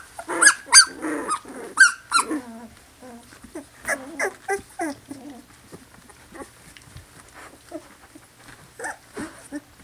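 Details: Poodle pups just over two weeks old, from a Louisiana litter, crying in loud high squeals at first, then trailing off into a series of softer, repeated whimpers.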